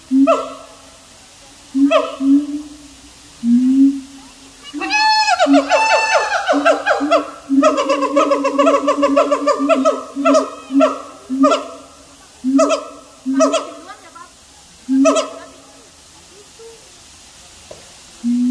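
A siamang calls in strong, tonal hoots and barks, each short and harmonically rich. Midway the notes crowd into a fast, wavering series of rising and falling whoops before settling back to spaced single barks.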